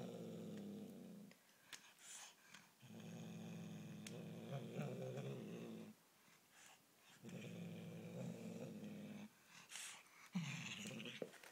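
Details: Bengal kitten guarding a toy it will not release, growling in long, low, gravelly rumbles of about two to three seconds each, four bursts with short breaks filled by scuffling and rustling.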